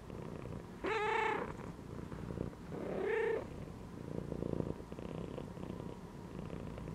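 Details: Domestic cat resting inside a gym belt, giving two short, clear meows about two seconds apart, the second lower and more drawn out, over a faint, steady low purr that continues between and after the calls.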